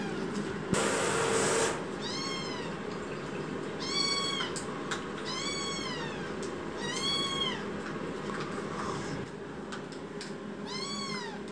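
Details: Foster rescue kitten with a wide forehead protests angrily, repeating loud arched meows roughly every one to two seconds after an opening burst of rustling noise, with a soft hum behind.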